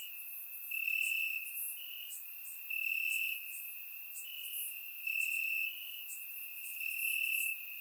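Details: Warm summer night in Bulgaria with crickets chirping in the grass; a continuous piercing trill pulses louder roughly every two seconds over a soft wash of other high insect calls.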